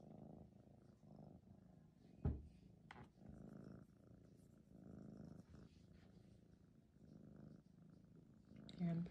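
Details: A male Maine Coon kitten, 14 weeks old, a polydactyl red tabby with extra toes on every paw, purring close by. A deep, even rumble with a regular pulsing rhythm runs throughout, broken by a sharp click and a few brief handling noises.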